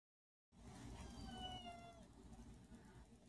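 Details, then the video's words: A pet cat giving its first meow caught on camera: a single thin, drawn-out tonal meow lasting under a second, over steady low background rumble, with a person speaking just after. "First meow on video"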